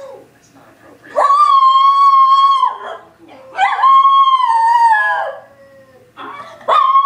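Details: A Miniature Schnauzer bays at the TV show The Office in long, drawn-out howls, each held at a steady pitch for over a second before dropping off, with television dialogue playing faintly between the howls.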